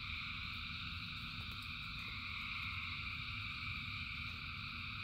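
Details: Thousands of frogs singing in rain: a dense, unbroken chorus of layered high trilling tones that holds steady throughout, over a constant low rumble of falling rain.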